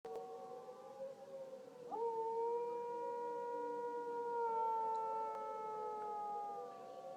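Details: Dog howling along with a tornado siren: long, steady tonal wail rising in at about two seconds and held with slight pitch drift for around five seconds, layered over the siren's continuous drone.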